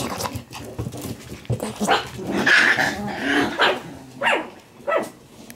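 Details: Play-fighting Shiba Inu puppies giving scratchy growls and sharp little barks about once a second, irregular and overlapping.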